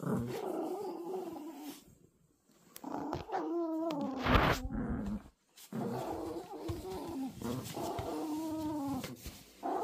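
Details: Tug-of-war play between Toy Poodle puppies, with throaty growls, wavering whine-like tones and a brief sharp noisy burst, in irregular stretches separated by short silences.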